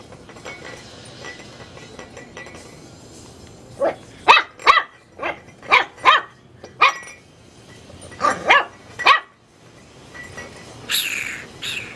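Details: Teacup Chihuahua puppy barking at a light bulb: a run of sharp, high yapping barks in quick uneven bursts, then a short pause and three more, with a faint hiss and soft rustle around them.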